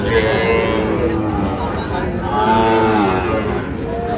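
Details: Sahiwal bull calves at Ambari cattle market, Parbatipur, Dinajpur, on 11 May: a couple of short harmonic moos rise out of steady crowd murmur and bargaining voices.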